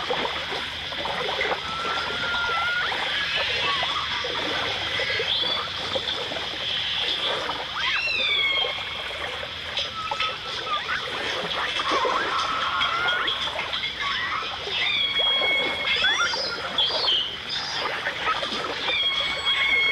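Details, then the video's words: Dolphins and orcas underwater, from a 1989 stereo recording: thin, sliding whistles that rise, fall and bend, scattered through the stretch over a dense crackle of clicks and hissing water noise. "The Enchanting Sounds Of Dolphin Song (Dolphins & Orcas)"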